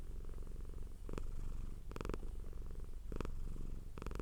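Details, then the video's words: Domestic cat purring hard, a continuous low rumbling purr with steady pulsing, broken by short louder bursts near one, two, three and four seconds. "Purring Cat sound for Relaxation"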